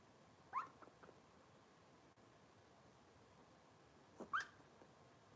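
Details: Cavalier King Charles Spaniel puppies from Robin's litter on a kitchen livestream: two short rising squeaky whimpers, one near the start and a louder double one about four seconds later, over quiet room hiss.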